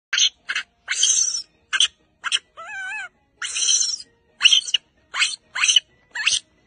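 A young monkey calls in quick, breathy, high-pitched squeaks, repeated every half second or so. Midway through comes a single warbling whistle that wobbles up and down before the squeaks resume.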